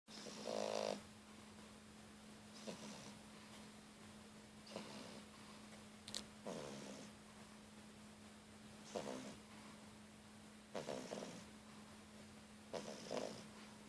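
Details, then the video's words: Louna, a three-month-old French Bulldog puppy, snores while sleeping with her eyes open; short breathy snorts come in irregular bursts about every two seconds over a steady low electrical hum. "Louna bouledogue français qui ronfle"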